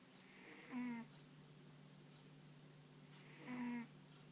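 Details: Ponta, a dog sleeping soundly indoors, snores twice, about three seconds apart. Each snore is a short, raspy, buzzing breath with a low hum under it. A steady low hum runs in the background of the quiet room.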